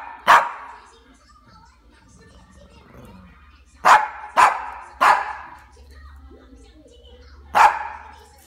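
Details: A hungry, angry Cavalier King Charles Spaniel barking: five sharp single barks, one early, then three in quick succession near the middle and a last one after a pause, with a faint low hum in between.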